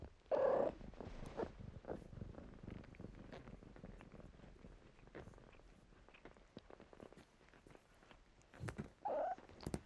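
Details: Domestic kittens at play in blankets: two short, higher-pitched mews open and close the passage, separated by a low murmuring purr and frequent soft rustles and taps from movement in the fabric.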